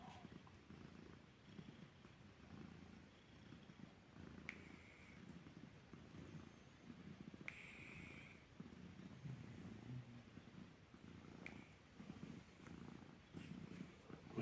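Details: A female rescue cat, relaxing in a safe home and called a "noise machine" by her owner, purrs steadily in a low rhythmic rumble pulsing with each breath.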